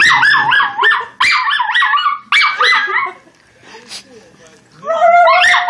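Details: A schnauzer puppy singing along to sounds gives wavering, rising and falling howls broken by short yips.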